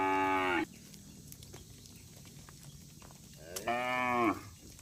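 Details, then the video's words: Cattle from a herd roaming on a road: one moo cut off at the start, then after a quiet gap a rising, rich harmonic moo lasting under a second. "suara sapi bunyi"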